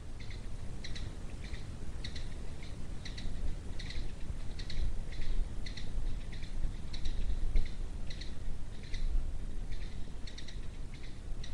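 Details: A puma (onça-parda, suçuarana) of the Cerrado gives a series of short, high, bird-like chirps over a steady low rumble.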